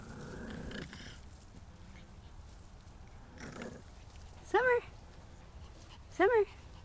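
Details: Havanese puppies eating sweet Sun Sugar tomatoes indoors; two short, sharp whines rise and fall about a second and a half apart, with quiet murmured talk and faint background noise in between.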